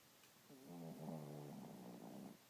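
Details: Small 12 lb dog snoring on a lazy morning: one long, rumbling snore lasting about two seconds, low and buzzy with a layered, droning tone.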